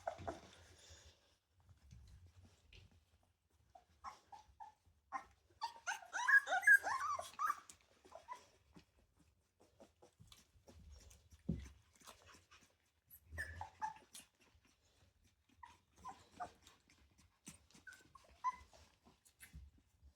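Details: Ten Rottweiler puppies just over three weeks old interacting indoors; a burst of shrill, wavering squeals peaks early on, followed by shorter whines and squeaks at irregular intervals between quiet rustling and soft bumps.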